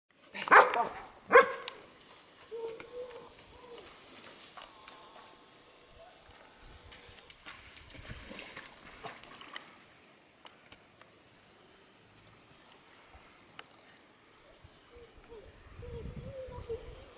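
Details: Welsh Springer Spaniel, a show champion, during water retrieving; two loud, sharp barks in the first second and a half, then a long quieter stretch of faint background noise.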